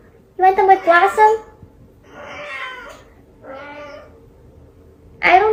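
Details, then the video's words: Indoor domestic cat giving a long wavering meow, then softer rough vocal sounds, and a sharp rising meow at the end, in a small quiet room. "1 HOUR FUNNY CATS COMPILATION"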